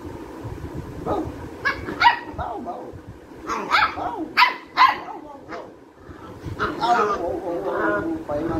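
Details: Labrador retriever puppy barking during play with an older Labrador: clusters of short sharp barks mid-clip, with faint speech and background noise.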